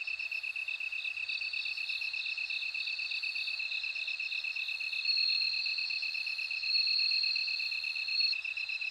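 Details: High, bell-like trilling of a bell cricket running on without a break, rising in loudness twice, layered over quick, even lower-pitched insect pulses.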